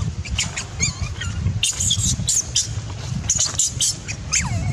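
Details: Baby macaque, upset that its mother would not let it nurse, utters a mix of short squeals and sharp high shrieks, some sliding downward, over low rumbling background noise.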